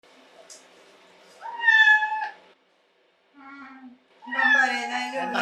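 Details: Female Scottish Fold cat at bath time after four months without one, refusing the bathtub and crying in protest while being soothed and shampooed indoors; one loud, drawn-out, harmonic meow, then a low human voice, then further meowing mixed with talking.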